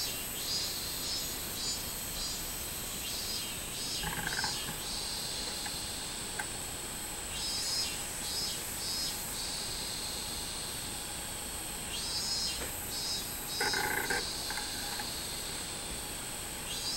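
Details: Min-min cicadas recorded in Japan on 24 July 2016 fill the air with a dense, high, continuous shrill drone, with pulsing bursts of louder, lower buzzing rising now and then from the chorus.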